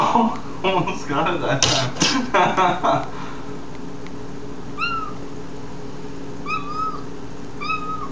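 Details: Mew, a pet cat, calling while trying to reach a crane fly just out of reach. A woman talks for the first three seconds, then three short, clear, high chirping mews follow at uneven gaps, each with a slight upward bend.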